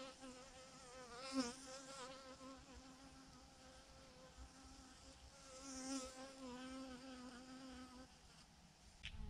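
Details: A massive clump of honey bees hanging from a branch hums steadily with a rich, layered drone, broken by brief louder surges of passing flyers before fading near the end.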